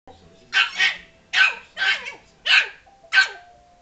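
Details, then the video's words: Frankie, a Yorkshire Terrier, barks angrily at a ball that was rolled toward him and hit him; five sharp, high barks, some doubled, come roughly every 0.7 seconds with quiet gaps between. "Frankie the yorkie (mad at ball)"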